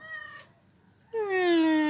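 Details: Domestic cat (Felis catus) gives a loud, drawn-out meow sliding downward in pitch, greeting its owner arriving home, a greeting that happens every day.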